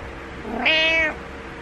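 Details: Morning wake-up meow from Butters the cat: one single drawn-out harmonic meow, rising then holding, in a quiet indoor room with a low background hum.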